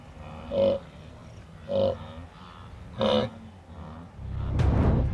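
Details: Rutting blue wildebeest bull calling during the mating ritual on the African savannah: three short, hoarse, nasal grunts spaced about a second apart, each a honking burst, followed by a broad noisy rush at the end.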